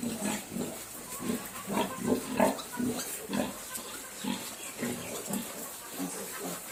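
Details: Several Duroc piglets on an Assam pig farm grunt steadily: short, low, nasal grunts overlap in quick irregular bursts, about three a second, over a constant background hiss.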